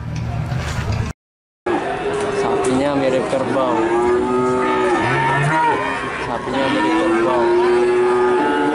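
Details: Calves (cattle) in Nganjuk, Indonesia: several overlapping moos, drawn-out and wavering, some rising then falling. A short silent gap comes early on, with a murmur of voices and crowd noise throughout.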